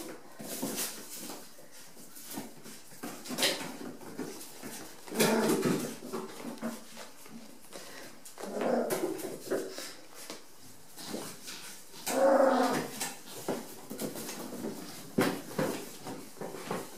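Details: Rat Terrier puppies just over five weeks old playing together indoors in a bathroom on a wet, cold day; soft whimpers and short yelps come in bursts near 5, 9 and 12 seconds, over steady clicking and scratching on the floor.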